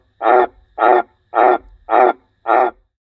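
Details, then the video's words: A transient green tree frog, which had been calling the previous night, gives a harsh, rasping croak repeated about twice a second in a steady series, around a house's frog hotels late in frog season. "So here is the frog that was making all the noise last night, and this one is actually a transient."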